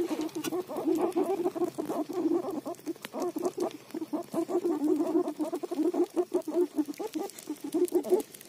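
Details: A guinea pig having roti makes continuous low, buzzy pulsing notes, closely spaced and fairly even, with light clicking noises behind.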